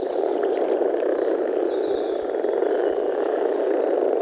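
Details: European common frogs (Rana temporaria) in early spring, males gathered in a forest pond to mate, giving deep grumbling calls through their vocal sacs; a dense, continuous low purring chorus of many overlapping frogs, with faint high bird notes above.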